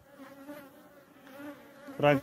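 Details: European hornet at an apiary where many hornets attack honeybee colonies; a steady droning buzz with layered harmonics, swelling slightly twice, then a man's voice breaks in at the end.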